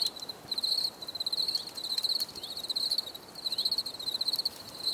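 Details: Insistent high cricket chirps, fast pulsed trills of roughly half a second, recur about 90 times a minute against a quiet hissy backdrop with scattered faint clicks.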